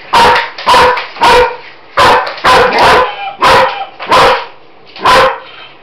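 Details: A female German Shepherd investigates a Roboraptor robot toy inside a house and barks at it. Eight loud, rough barks arrive in six seconds, some in quick pairs, with short pauses between them.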